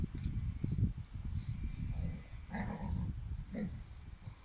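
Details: Dobermann puppy with a bone: low, rumbling growl-like noises in irregular bursts, with two brief mid-pitched whining sounds near the middle and end. Quiet, close recording with indoor background noise.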